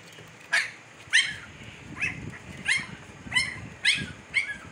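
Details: Siberian Husky pups, 15 days old, in Pakistan: a run of seven shrill, falling whimpers spaced roughly half a second apart, each sharp and harmonic, over low background rumble.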